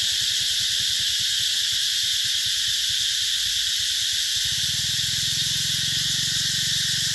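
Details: Cicadas calling in summer at an eco-tourism garden in Mỹ Luông, Vietnam, 2021: a dense, steady, hissing buzz holding high without pause throughout, with a faint low rumble underneath.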